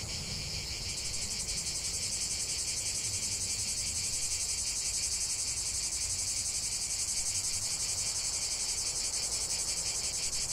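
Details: Chorus of cicadas producing an unbroken shrill buzz, rising slightly in loudness after the first second, then holding steady with a fast rhythmic pulse underneath.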